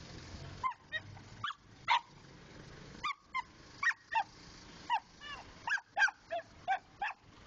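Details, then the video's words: Domestic dog giving a series of short barks, some with a bent, yelping rise and fall, spaced irregularly with gaps of up to a second; faint low rumble in the background. "my dog funny barking"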